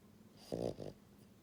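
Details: A single snore from Buhiko, a female pied French Bulldog born January 2022, dozing at home: a coarse rattling inhalation followed by a shorter second rasp.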